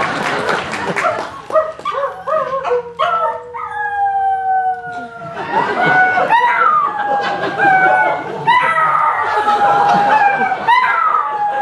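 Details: Dog singing folk songs, howling in long drawn-out tones that slide slowly downward, then rise and waver in higher wailing notes, with singing and talking heard at the start.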